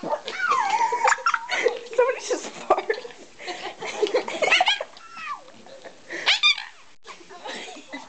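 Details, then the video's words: Small pet dog indoors making a run of playful noises, wavering whines rising and falling, short yips and squeaky glides, mixed with people talking and laughing close by. "Funny noises a small dog can make"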